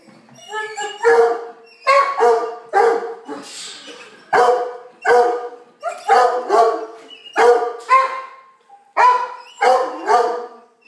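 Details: Domestic dogs indoors as a big puppy plays with young foster puppies: a run of sharp, high, yappy barks, about one every second, some doubled, fairly even in pitch throughout, with little else heard.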